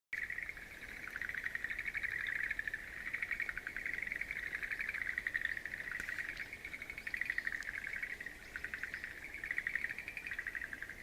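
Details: Frogs calling in a wildflower garden on April 11, 2013: a steady overlapping chorus of fast pulsed, rattling trills at a middle pitch, swelling and fading in waves with no pause, over faint background hiss.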